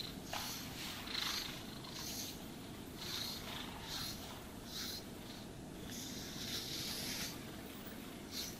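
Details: Domestic cat purring while being brushed and groomed indoors; a steady low rumbling purr runs throughout beneath repeated broadband brushing strokes, each stroke a soft hissing swish about every second.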